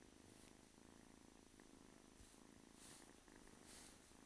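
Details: Purring from a male domestic kitten about eight to nine weeks old, heard close up as a dense, steady low rumble with regular pulses and brief breathy swells near the end.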